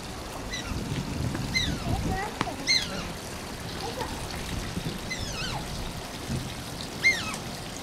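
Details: At Oji Zoo, the Asian small-clawed otter Shishimaru whines repeatedly: bright, high-pitched cries dropping in pitch, some in quick pairs, with running water and a low murmur of voices in the background.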